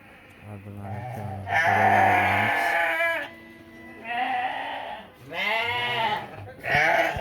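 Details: Ewes and rams at a busy Uzbek livestock bazaar where some 700 head were brought in. After a man's brief speech, several loud, quavering bleats of about a second each repeat at short intervals, overlapping one another.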